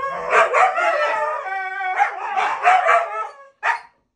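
A Siberian Husky 'talks' in rising and falling, yodelling howl-barks that sound almost like speech.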